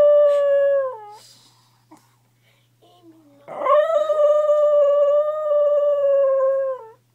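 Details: Sonny Dale Battles, a pet dog, howling while asleep indoors: two long tonal howls, the first about a second and falling at its end, the second held steady for over three seconds before dropping, with a quiet steady hum underneath.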